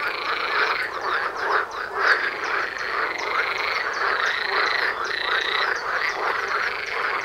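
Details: Many frogs croaking together near a house, loud even from far away; a continuous rattling chorus of quick repeated calls, with sustained higher notes and drawn-out tones threaded through it.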